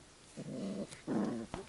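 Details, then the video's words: Two short, low, rumbling growls come from Labrador Retriever puppies of the A litter during rough play with their littermates, followed by a faint knock. "Die Welpen raufen, zanken und spielen miteinander."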